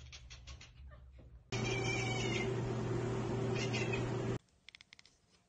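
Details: Domestic cat chattering at a bird or insect it cannot reach: short bursts of rapid clicking, chirpy sounds over a loud, steady background hum, with quieter faint clicks before and after.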